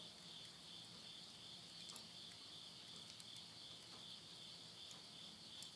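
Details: Continuous shrill insect chorus on a September 2020 midnight in the Tottori countryside, Yurihama, Japan, a dense unbroken two-tone buzz with only faint ticks from a wood stove beneath.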